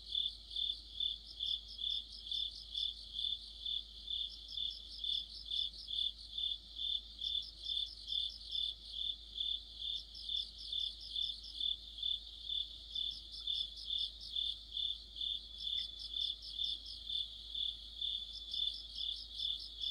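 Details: Crickets in an autumn night chorus under a streetlamp, rhythmic shrill pulses steady at a little over two per second, while a second insect adds rapid stuttering chirp series in separate bouts.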